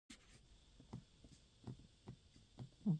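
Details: Oscar the cat sleeping on a lap on a couch, snoring and dreaming; soft, low, breathy snores pulse at irregular intervals of roughly half a second to a second in a quiet indoor room.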